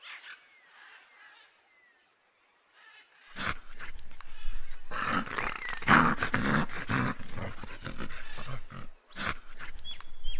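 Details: Dog barking loudly in rapid harsh bursts, several a second, with growling tones, after a quieter opening of faint high chirps; bursts continue irregularly to the end.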